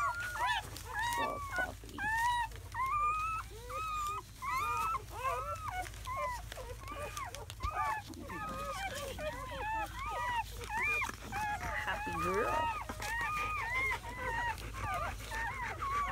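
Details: A litter of seven German Shepherd puppies, four boys and three girls, hours old in early May 2017. Many high, curved squeaks and whimpers overlap in a steady chorus, with a few soft thumps between cries.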